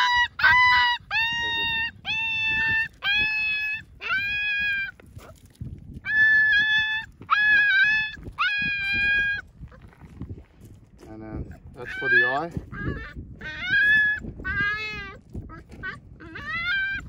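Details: Ra, a one-eyed puppy at the vet after his injured eye was removed, cries in a run of high, clear whining yelps about every half second, then a few wavering, bending whimpers, over low rumbling background noise.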